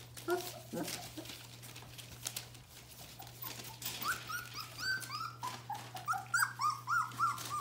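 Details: Bohemian Shepherd puppies of the F litter, almost four weeks old, indoors: quiet rustling at first, then a run of rising whimpering squeaks building in loudness over the last few seconds, with a low background hum.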